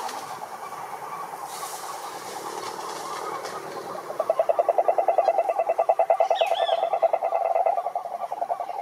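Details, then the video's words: Wild cururu toads, Rhinella marina, at a lake in the Brazilian Atlantic Forest: a few seconds of distant murmur and noise, then a close toad breaks in with a loud, evenly pulsed low trill, and a brief higher chirp sounds above. "CANTORIA DE SAPOS CURURU"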